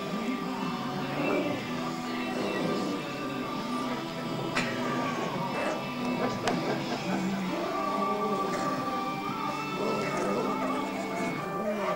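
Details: Continuous instrumental music plays throughout, with no animal voice heard.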